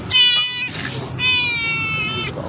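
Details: Feral cat giving two clear, high, drawn-out meows, the first short and the second longer and slightly falling, separated by a brief pause.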